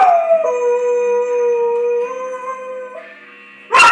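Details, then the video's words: Pet dog howling along to the Law and Order theme music: a long, steady, tonal howl that holds low, then steps up in pitch and sustains before fading. It ends in a sudden sharp broadband burst. "Dog howling to Law and Order"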